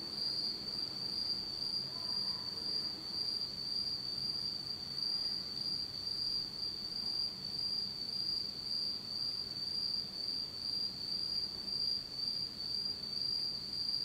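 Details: Autumn night insect chorus in Japan, recorded in complete darkness; one continuous piercing high trill rings unbroken throughout, its faint upper overtone steady, over quiet low rumble.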